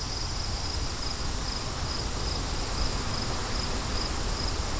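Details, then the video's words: Clear, evenly spaced cricket chirps, high and thin, repeat about every half second against a continuous low rumble of wind. "Crickets & Wind"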